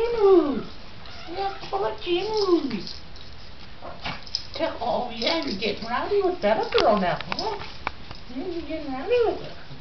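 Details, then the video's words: Japanese Chins at play indoors: Mia, a rescue from Japanese Chin Rescue, NC, two days in her new home, with Bella, Phatboy and foster Flynn. Rising-and-falling whiny yips and grumbles repeat in bursts, with people talking throughout. "Japanese Chin playing with other Chins"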